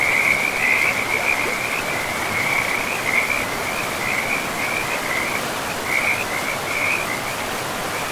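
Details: Frogs by a river in a pristine forest give a steady chorus of high, rattling trilled calls that run almost without a break. A constant broad rush of flowing river water sits beneath them.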